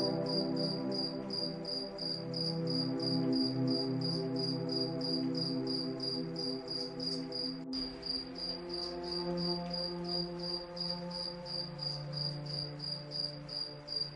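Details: Moonlit night with crickets sending out a long even series of high chirps, about three per second, one sharp click midway, beneath slow soothing music.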